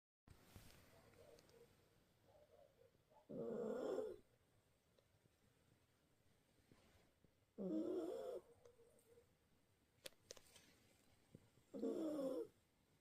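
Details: Maltese terrier puppy asleep and snoring: three breathy, rasping snores, each under a second long, arriving roughly every four seconds in an otherwise quiet room.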